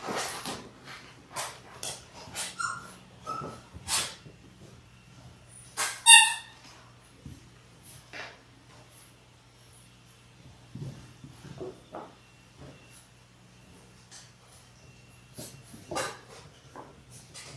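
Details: Six-week-old Labrador Retriever puppies, a litter of six born January 18, 2022, on a live puppy cam: brief high whines and one short squeaky yelp amid frequent scratching, clicking and rustling as the pups move about.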